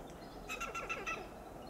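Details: Loud alarm calling from a western gray squirrel perched on a coast live oak, Del Monte Forest, California: a quick run of five harsh, clucking staccato chucks in about a second against low background noise.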